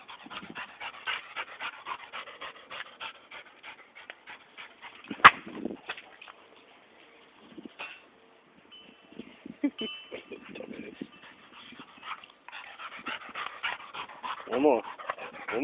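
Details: A female dog playing fetch with a tennis ball by a pool, heard panting rapidly and giving high whimpers, with a sharp metallic ding and splashing and background rustle.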